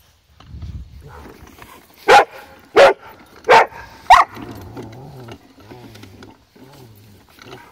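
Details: An upset female Rottweiler gives four loud, full-throated barks in a tight run, under a second apart, objecting to a wagon while her owner tries to calm her; a low hum and faint voices follow.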